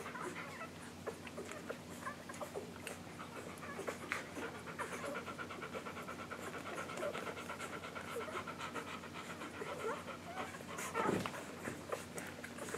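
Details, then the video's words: English Golden Retriever litter of Maddie and Jazz, under a week old, nursing on July 15, 2012; steady clicking suckles and quick breaths throughout, a louder whimpering squeal near the end, over a low electrical hum. "English Golden Retriever Puppies Nursing"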